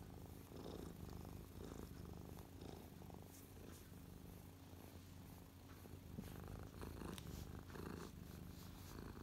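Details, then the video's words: Lap-sitting cat Mia, feeling happy, purrs at close range on 12/12/2023, minutes after a violent attack on a feather; soft continuous rumble rising and falling with breaths, occasional fur rustle. "Close up Mia purring"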